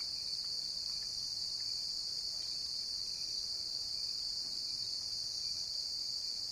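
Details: Continuous bright, high insect trill from a cricket, even in loudness from start to finish over a quiet background.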